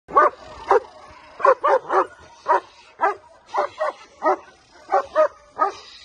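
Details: Male German Shepherd, Mikel v Arkona Park, at Mittelwest German Shepherds in Wonder Lake, Illinois, barking in a steady series of short, mid-pitched barks, about two per second, some in quick pairs.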